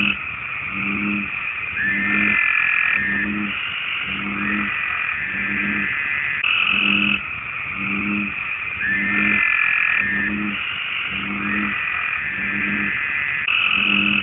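An American bullfrog gives deep, short croaks about once a second, calling to attract a mate.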